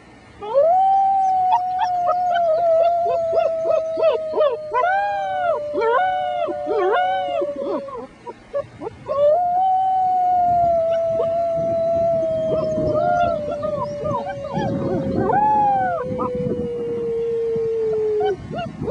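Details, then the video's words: Young German Shepherd puppies, six weeks old, howl together with a human companion: a long sustained wavering tone with repeated rising-falling puppy yips layered over it, and some breathy rumbling in the second half. "German Shepherd puppies sing the blues"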